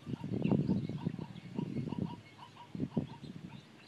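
A zebra gives a run of hoarse, barking yelps in quick bursts, then a short pause and a couple more harsh barks over faint outdoor background noise.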